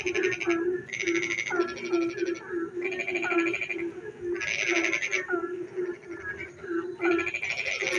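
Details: Rainy night frog singing, with repeated rattling trill bursts of about a second alternating with short chirping notes, set against an unbroken low croaking chorus from many frogs.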